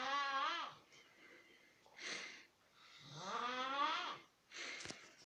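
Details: Snoring ground squirrel likened to a siren, giving two long harmonic wailing tones that swell and bend in pitch, each followed by a short breathy rasp.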